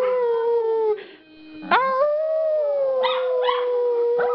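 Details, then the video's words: A group of pet dogs howling, set off by two people: a smooth steady howl, a brief dip, then a rising howl held level with harmonics, joined by short yelping bursts near the end. "Dogs Howling"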